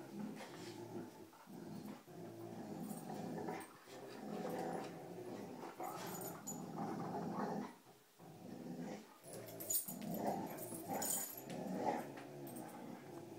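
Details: Dogs playing tug with a rope, low rough growling running through the clip with brief pauses, overlaid with scuffling and thumping from the play.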